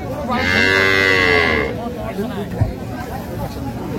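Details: Improved-breed dairy cow or calf at Raniganj market, Dinajpur, recorded 12/6/25: a strong, rich moo holds steady for over a second, then fades into market hubbub with a single sharp knock.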